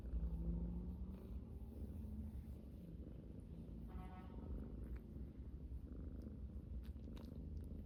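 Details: Domestic cat purring: a steady low rumble with fast rough pulses, continuous throughout, with a faint brief higher tone in the background.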